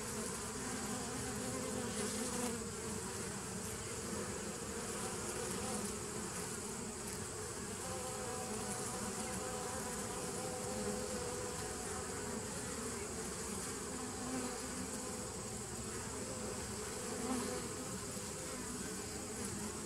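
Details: Bees on 27 September 2018 producing a long, steady drone: low humming bands hold throughout, with brief faint higher tones near the middle and small swells in loudness.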